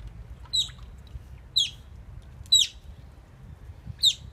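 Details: Oriental small-clawed otters building a nest at Copenhagen Zoo, recorded 17 November 2016: four sharp, high chirps, each a brief downward-sweeping squeak, spaced about a second apart over a low background rumble.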